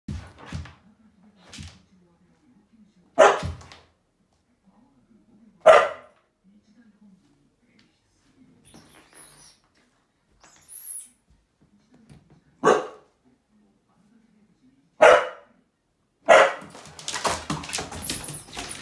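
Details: Akita giving an extremely long "itadakimasu" (Japanese pre-meal 'let's eat') before eating, indoors: short loud bark-like yelps every few seconds separated by soft low whining hums, with quieter rustling near the end.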